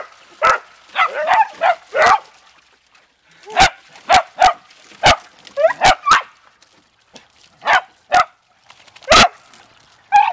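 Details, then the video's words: Playful Beagle and Dachshund family dogs in water, including a Red Bone Dachshund: clustered high yips and barks in uneven volleys, punctuated by loud sharp snaps and quieter gaps. "Beagle / Dashounds having fun in Water"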